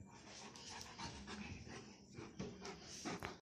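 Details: Bernese Mountain Dog panting: steady, breathy, rapid in-and-out huffs, roughly three per second, with soft noisy background.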